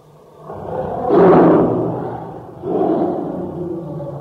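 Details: ['Tiger, whose roars are tied to joy, sorrow, hunger or anger, gives a brief loud harsh roar that fades into a rumble, followed by a second, softer groaning roar, with echo around it.']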